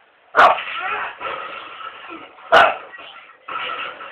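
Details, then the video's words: A pet dog gives two sharp, loud barks about two seconds apart, with people talking steadily underneath and between them. "the barking dog"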